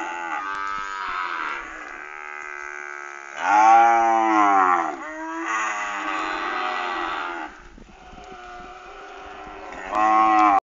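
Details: A lot of weaned calves calling: several overlapping moos of varying length and pitch, some wavering and bending downward, with brief quieter gaps between the louder bursts.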